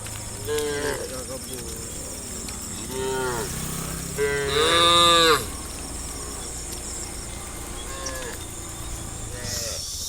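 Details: Herd of dozens of tame cows in brown, black and creamy white, walking in a crowd toward watery grassland on a sunny afternoon; several overlapping moos of varied length from different animals, one louder drawn-out call midway, over constant insect buzzing.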